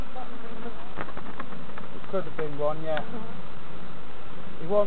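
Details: Continuous low buzzing of honey bees as novices check hives at Summerwood Lane Allotments and Community Garden, broken by a short spoken phrase midway and a few sharp knocks.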